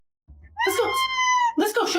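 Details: Pet cat that talks with buttons, giving a loud drawn-out meow with a steady harmonic tone held for about a second, then a second shorter meow; indoors, with human speech and music around it.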